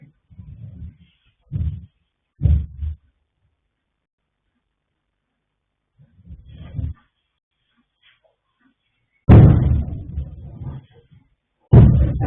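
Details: Sleeping colt foal Yanta, born 21 January 2026 to sire Fast Force and dam Pink Blossom, snoring: deep low rumbling snorts in short bursts, a quiet spell, then louder, rougher snores toward the end.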